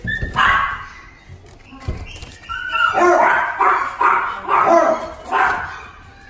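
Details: Jack Russell Terrier in a pet shop: a yelp, a few whines, then a rapid string of five or six sharp high barks, some room noise around.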